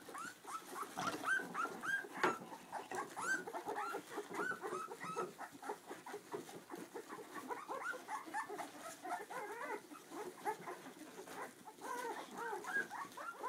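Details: Two-week-old Clumber Spaniel puppies beside their mother Tulipa, squeaking and whining nonstop: many overlapping short, high, rising-and-falling whimpers from several pups at once, with faint rustling underneath.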